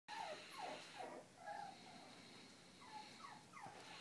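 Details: Two Japanese Spitz sisters playing, giving short tonal whimpers and whines that slide downward, several in quick succession with gaps, over a steady background hiss.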